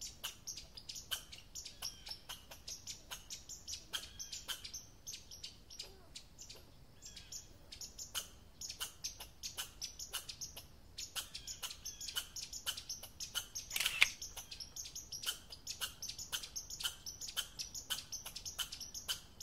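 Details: Sharp, broadband chucks and clicks from an American red squirrel, given in an irregular but steady series of two to three per second, with one louder burst near the middle.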